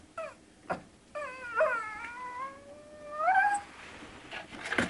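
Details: One-month-old Shih Tzu puppies whimpering indoors: several drawn-out, high, tonal whines that rise and fall and bend in pitch, with brief squeaks between and a louder whine near the end.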